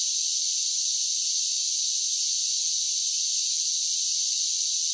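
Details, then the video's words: Summer cicadas keep up a relentless, uniform high-pitched buzzing, a smooth hissing wall of sound at constant loudness throughout, with nothing else audible. "10 Hours of Cicada Sounds for Relaxation with Soothing Summer Nature Sounds"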